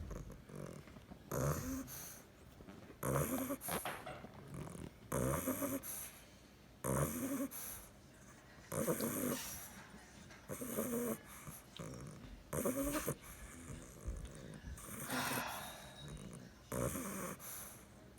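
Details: Nine-week-old bulldog puppy asleep, snoring in rough rattling breaths, loud snores roughly every two seconds with quieter breathing between, some bursts harsh and noisy, others more throaty and buzzy.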